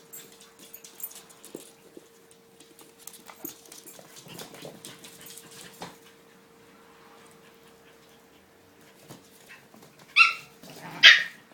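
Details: Kia's puppies, seven weeks old, playing: a long stretch of scratching and pattering, then two loud high yelps about a second apart close out the stretch.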